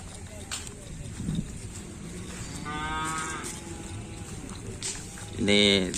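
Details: Racing cattle in training for a kerapan sapi bull race at Asemanis, 6 November 2022; a mid-length moo near the middle, then a short loud bellow at the end, amid crowd chatter and music.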